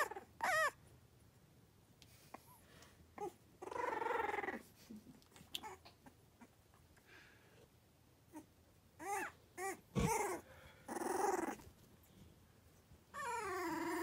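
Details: Three-week-old Cavalier King Charles Spaniel puppies in autumn whine and squeak in short, high, wavering bursts; at this age they develop a 'tiger rrrr' growling sound.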